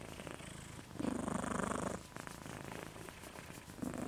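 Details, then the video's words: Snoring from Moca the dog, tongue out: one loud, fluttering rasp of about a second, then softer breathing and the start of another snore. "Snoring Moca"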